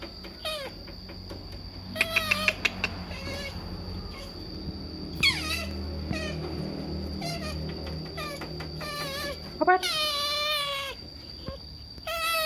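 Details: Otters screaming while begging for food: several loud, harmonic squeals that fall in pitch come in bursts, the longest and most intense near the end, with a steady high electrical whine and faint rustling behind.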